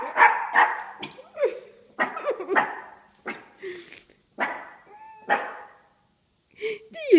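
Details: Four-month-old Shih Tzu puppy barking at a statue it takes for a real man: a string of short, sharp barks, some doubled, spaced about half a second to a second apart, with a woman talking to the dog between them.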